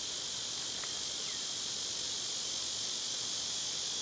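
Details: Cicadas singing in summer, a steady, unbroken high-pitched hissing drone that holds level throughout, with no pauses; a faint short chirp rises briefly near the start.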